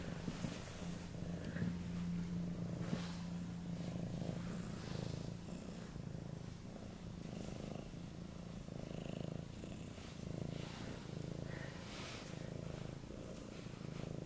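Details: An affectionate 8-month-old male Siberian cat (Neva Masquerade) purrs loudly and steadily in a low rumbling rhythm while begging for cuddles.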